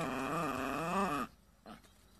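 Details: A dog makes a steady, wavering, moaning whine for just over a second, then stops. A faint short sound follows in near silence.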